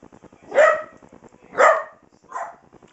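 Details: Small playful pet dog indoors, getting its rawhide and bone, gives three barks about one second apart, the last softer; a person speaks to it just before and after, telling it not to bark.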